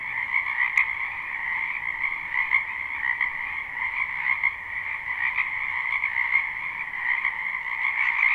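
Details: Many frogs in a spring wetland behind a house, recorded live without looping: a dense, unbroken chorus of high, rapid trilling croaks in two steady layers, with slight pulsing swells and no other clear sounds.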